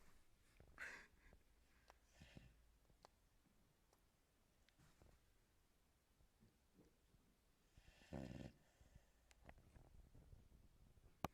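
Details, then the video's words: Cuba, a female American Staffordshire Terrier, snoring while asleep: a few soft, breathy, rasping snore bursts at irregular intervals, the strongest one late in the recording, with quiet stretches between. "Cuba snoring dog"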